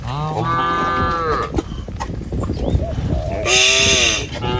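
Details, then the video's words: Village cattle move slowly in a herded line across a wooden bridge toward green pasture along a wet rice-field path. A full, sustained moo opens, then rustling and footsteps, then a hissy burst over a second lowing call. "Gembala Krumunan Sapi Lembu Jinak Berjejer Melewati Jembatan Kayu Menuju Rumput Sedap Suara Moouu"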